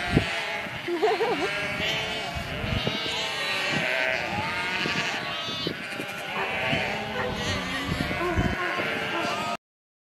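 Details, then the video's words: Herd of sheep with dense overlapping bleats, some trembling and drawn out, others short. A busy chorus of several animals continues until an abrupt stop just before the end. "HERD OF SHEEP | Sheep Sounds"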